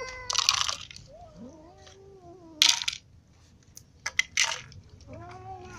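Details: Ginger cat eating lying down after being clawed by a new white cat; low, drawn-out wavering meows, one sliding upward then holding, broken by loud crunching bites, another long moan closing.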